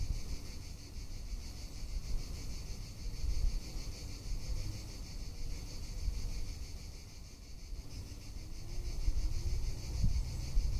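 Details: Tuscan summer cicadas produce an unbroken, bright, sizzling drone with a subtle rapid pulse, heard above softer wind rumble and a faint low hum in the background.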